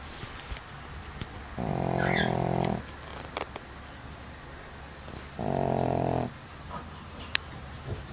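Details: A Pekingese dog snores in slow, rasping breaths, each a buzzy rumble lasting about a second.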